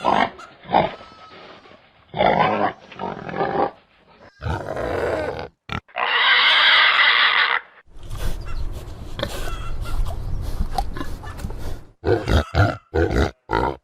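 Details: Pig giving short rough grunts in clusters, then a single long piercing squeal of about two seconds, followed by low rumbling snorts and a run of clipped grunts.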